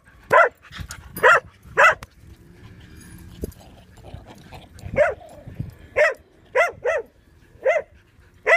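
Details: Bear, a dog, going wild while playing at a dog park: loud, sharp barks, three in quick succession, then after a quieter gap a second run of about six more, some paired closely together.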